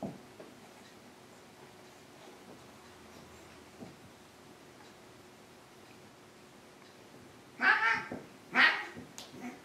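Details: Maine Coon indoors in a home with two Maine Coons, ten-year-old Triton and young Alexander: after quiet room noise, two short high meows arrive close together near the end.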